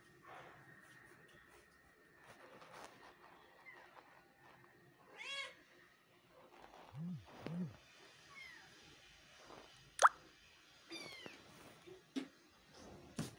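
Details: Persian cats making a series of scattered meows over about thirteen seconds: short rising and falling harmonic cries, some higher and thinner, one lower and throatier, separated by quiet gaps, with a sharp tap or click near the middle.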